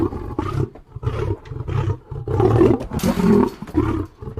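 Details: Lion in a close, powerful roaring bout: deep, rough moaning roars run almost continuously, rising and falling in bursts about every half second, with one harsher, louder peak near the middle.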